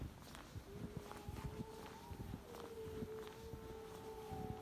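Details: Jackal on a snowy evening walk in a village near Gargi, Dersim (Tunceli), Turkey, on 19 January 2022: a long, eerie, scream-like wail holds a steady mid pitch and lifts slightly, with footsteps crunching close by. The walker suspects a wolf, but the scream suggested jackal.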